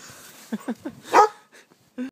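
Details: Jake, a goldendoodle puppy of five months, playing chase in snow: three quick rising yips in a row, then a louder harsh bark, a short pause and one more yelp at the end.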